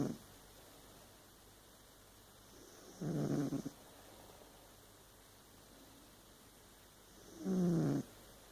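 A Burmese cat snores in low, rough breaths spaced a few seconds apart.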